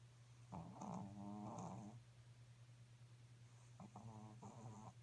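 A Pekingese snores in two long, low, buzzing breaths, each a rough rattle with a throaty vibrato lasting over a second. A constant low hum runs beneath the snores throughout.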